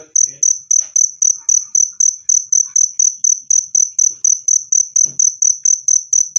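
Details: Clear, loud cricket chirping for repelling rats, a rapid series of bright high pulses about four each second, with a few soft background clicks and thumps.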